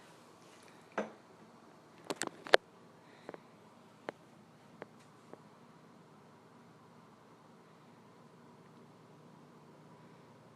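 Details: A quiet indoor room where a handful of sharp isolated clicks and taps fall within the first five seconds, followed by near silence.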